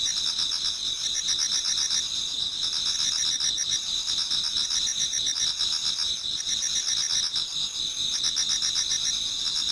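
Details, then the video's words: Many insects in a Japanese garden during an autumn dawn keep up a continuous high shrill chorus, a steady ringing note beneath beaded, pulsing trills that thicken in periodic bursts. "Autumn Insects voice Towards dawn"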